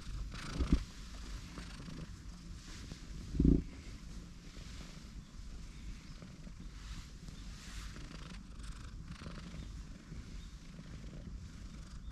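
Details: Affectionate tortoiseshell stray cat in a park, jumping straight onto the lap of someone sitting on a bench: a steady low rumbling purr throughout, broken by two brief knocks near the start, with faint outdoor background.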